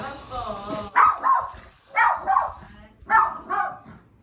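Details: Attention-seeking pet dog barking at its owner's friend after not seeing her for a long time; faint voices at first, then three clear bouts of doubled barks about a second apart.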